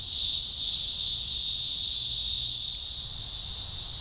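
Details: Green grocer cicadas, thousands singing together at an emergence in the Blue Mountains, Australia, early October 2020; a piercing, steady high buzz swelling slightly then easing in loudness.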